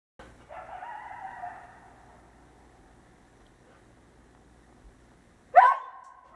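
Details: A coyote at night gives a drawn-out, wavering howl, followed after a pause by a sharp, sudden yip.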